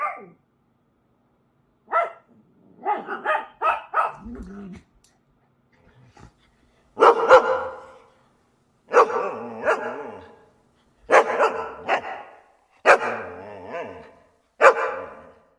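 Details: Several dogs barking in short, sharp bursts, single barks and quick doubles and triples, spaced roughly every one to two seconds with brief silent gaps, about a dozen barks in all.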